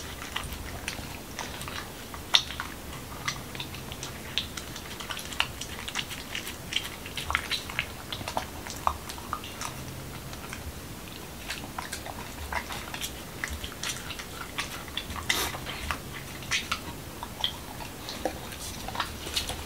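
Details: Indoors in Washington DC, the Corgi Momo works through a whole wheat taco with cucumber and ground beef, giving a steady stream of sharp crisp crunches and smacking bites, dense and quick, against a faint low hum.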